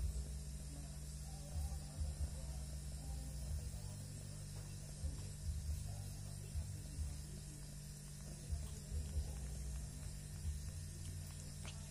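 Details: Steady low mechanical hum with faint ratcheting and clattering noise throughout, and no clear animal voice.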